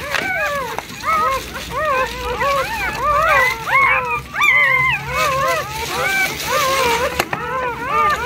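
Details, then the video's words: Newborn puppies of a pregnant rescue shelter dog that gave birth to a large litter with her foster family: a dense, overlapping chorus of high, arched squeaking whines repeated rapidly, with faint human voices behind. "Mama rescue dog gives birth to lots of puppies"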